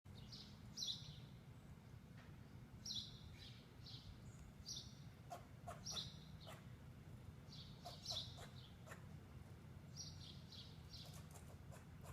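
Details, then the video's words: Squirrel alarm calling after spotting a potential predator, a pet cat, nearby: short, high, sharp chirps repeated roughly every two seconds over a steady low background hum. "Voice of a Squirrel - Sincap Sesi"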